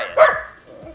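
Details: Calliope, a young, high-energy Miniature Australian Shepherd, demand-barking during a training session because she wants to play with the ball; one sharp, loud single bark followed by quiet.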